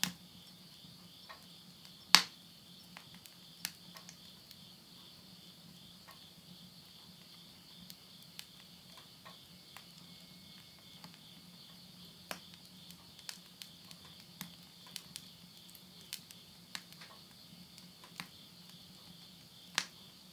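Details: End-of-summer insects singing at midnight near Yurihama, Tottori, Japan, in September 2020; a constant high trilling chorus underlies frequent crackling and popping of bonfire flames in a stove.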